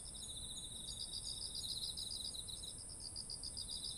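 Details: Short stretch of autumn insects by ripe rice fields, ZOOM H1essential: bead-like rapid pulses in high bands, one trill fading midway while another carries on, over a steady shrill drone.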